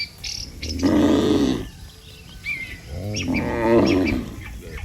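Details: Tame cattle, dozens strong, walking calmly back to the barn from the pasture: two full, resonant moos separated by a short pause, with scattered bird chirps in the background.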